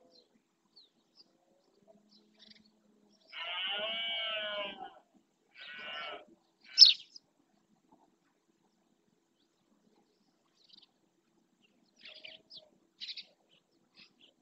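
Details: In the Doñana National Park marsh in Spain, a red deer stag roars during the berrea to claim territory: one long grating roar, then a shorter one a second later, a few faint chirps after in otherwise quiet surroundings.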